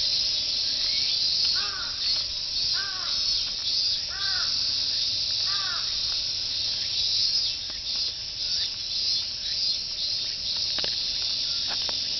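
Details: Cicadas sing in a dense summer chorus of 'meen-meen' heard from the walking and jogging course of Fuchinobe Park, Japan. A continuous high, hissing drone fills the scene, while a crow caws four times early on.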